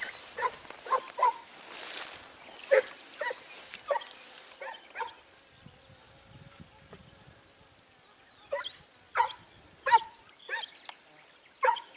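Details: Hunting Segugio Italiano after hare in Sofiko, Evros, recorded 29 May 2019: a run of clear, high barks repeated roughly once a second, a pause with faint rustling, then another burst of barks.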